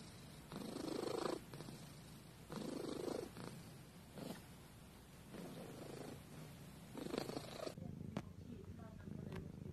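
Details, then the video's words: Cat purring loudly near the recorder, deep rumbling pulses repeating about every one and a half seconds, followed by a person beginning to speak at the end. "Cat purring compilation"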